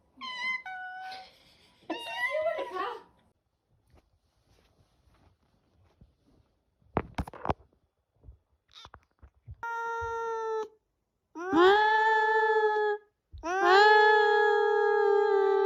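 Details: Indoor cat with attitude, opening with a few quick meows, then after soft clicks and rustling breaking into long drawn-out low wailing yowls, each lasting one to two seconds, growing louder toward the end.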